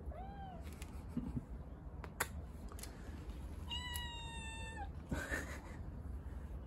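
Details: Stray kitten given water, letting out a short high mew early on, then after clicks and rustling a clear, level, drawn-out meow of about a second, followed by more handling noises.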